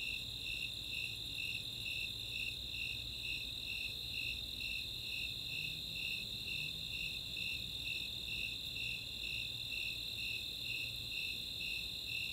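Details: Night chorus of Snowy and Four-spotted Tree Crickets on a summer evening at Chautauqua, Boulder, Colorado, with rhythmic high-pitched chirps about twice per second and a constant ringing trill just above them.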